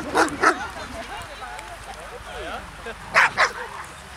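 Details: Hovawarts at a rainy gathering of twelve dogs and twenty-two people from the "Vom Wildenstein" breeding line. Two pairs of sharp barks, each a quick double, come at the start and near the end, with voices chatting in between.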